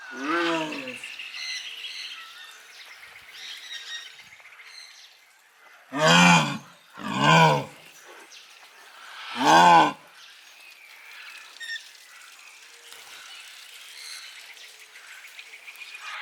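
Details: Jaguar strolling inside its enclosure, calling after watching its keeper leave: three loud, hoarse, rasping calls rich in harmonics, two close together and a third a couple of seconds later, with small birds chirping steadily in the background.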